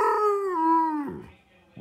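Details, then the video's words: Nico the older Pudelpointer, frustrated as he asks to go outside, lets out a single smooth howl that starts higher and slides gradually downward for about a second before fading, Chewbacca-like in tone. "Nico the older talking Pudelpointer"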